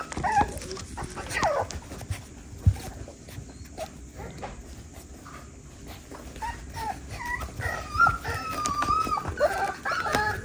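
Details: Six-week-old West Highland White Terrier puppies from Princess Fiona's litter at feeding time, giving high, wavering whimpers and whines that overlap and grow busier in the second half, over clattering and soft handling noise.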